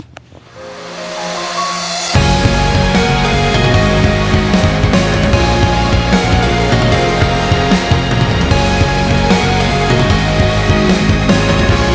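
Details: A quieter intro swells into loud, dense, distorted rock music with heavy drums that continues throughout.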